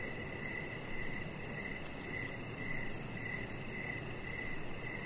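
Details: High, sharp cricket chirps, about two each second in an even rhythm, heard outside on a deck in the evening over a constant low rumble and hiss.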